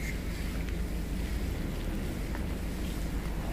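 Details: Steady low wind rumble against the microphone, with a few faint clicks and no animal voice.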